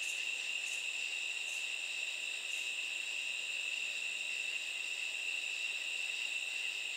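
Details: Night chorus of katydids, an unbroken shrill buzzing on two high pitches, with a few short, sharp hissing pulses near the start.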